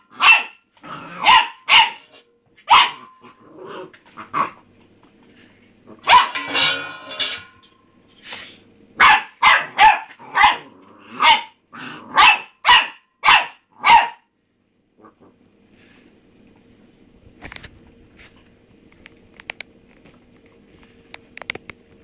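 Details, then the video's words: Rusty, a pet pup, barking at his empty food bowl: sharp repeated barks in bursts, a quick run near six seconds, then a steady volley of about a dozen barks before falling quiet, with faint clinks afterward. "rusty barking at his bowl"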